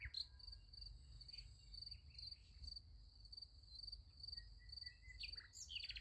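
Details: Night crickets chirp beside a sunflower field: a continuous high-pitched trill of rapid even pulses, with a few faint bird notes and a soft low background hum.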